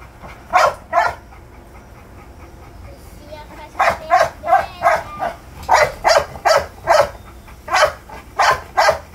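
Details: American Bully puppy firing off a pair of barks, falling quiet for a few seconds, then yapping in a fast run of high, sharp barks with faint voices behind.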